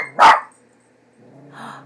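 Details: A single sharp bark from Leo, a pet dog frightened by a cat image printed on a cat food bag, followed by quiet room sound.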